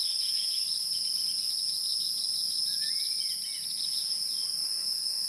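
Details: Insects of the wild keep up a constant piercing drone in two high bands, while a soft sliding whistle drifts through midway.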